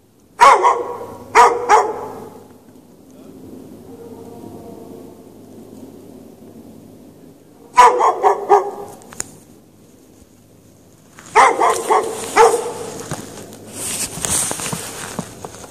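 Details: Dog chained out in the snow without shelter at night, March 2014: loud harmonic barks in bursts, single and doubled barks near the start, another at eight seconds, then a rapid run of barks with noisy hiss near the end.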